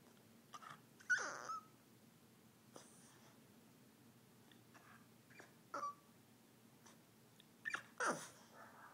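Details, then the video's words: Mr. Babypants, a Boston Terrier, whining about nothing in particular: a few short, high, falling whimpers with breathy snuffles and sniffs between them in a quiet room. "Mr. Babypants Whines"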